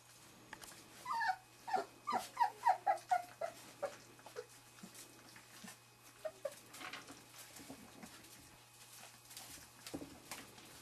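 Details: Litter of Wirehaired Pointing Griffon puppies, about three and a half weeks old, checking out a quail brought home from bird training; a quick run of soft, thin squeaking whimpers early on, then quieter shuffling and low sounds.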